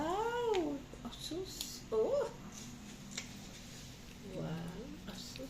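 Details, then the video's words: Pet cat begging for treats on a table, giving an arched, whining meow at the start and a brief rising mew about two seconds later, with people chatting and exclaiming in Filipino around it. "CAT BEGS for Treats"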